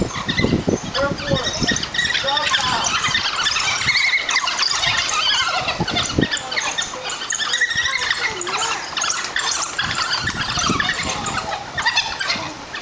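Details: Pack of African wild dogs (painted dogs) at the Pittsburgh zoo rough-housing in their pen on a hot July 2012 summer day; dense overlapping high squeals and twittering cries fill the clip continuously, with scuffling noise underneath.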